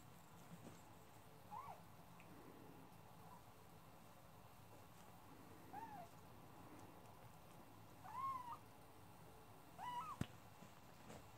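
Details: Nine-week-old male Scottish Fold kitten giving four short, thin meows, each bending up then down, spaced two to four seconds apart over a quiet indoor hum, the last two loudest.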